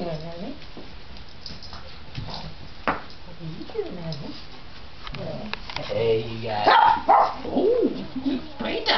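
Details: Indoor romp among several Japanese Chins, Mia, Bella, Phatboy and foster Flynn, in full play. Sharp short barks and yappy squeals come in quick irregular bursts, growing louder toward the end, while a person encourages them to play.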